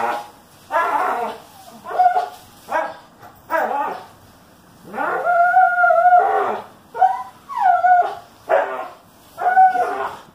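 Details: Dog playing tug of war in June 2018, whining insistently: drawn-out nasal whines that bend up and down, one held nearly two seconds, mixed with shorter yips in quick succession.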